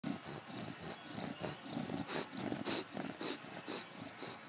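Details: Bulldog Eddie falling asleep indoors, snoring in a steady beatbox-like rhythm: rasping, throaty breaths roughly two per second, each with a brighter hissing burst on top.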